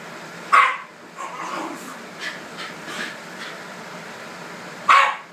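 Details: Two Shiba Inu dogs fight over a red couch, one giving sharp barks at the start and again near the end, with softer growly yips and scuffling in between in an indoor room.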